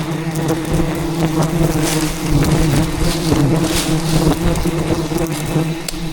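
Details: Angry wild bees attacking during the harvest of a hidden rainforest beehive, defending their colony; a thick, continuous humming swarm, loud and unbroken, with scattered rustling and snapping noises from branches and vegetation.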